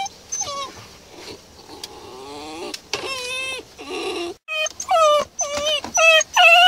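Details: Basenji confined in a pet carrier, which it does not tolerate, whining in a quick series of high, wavering, sliding whimpers, some short and yelping, others drawn out, with rustling between them.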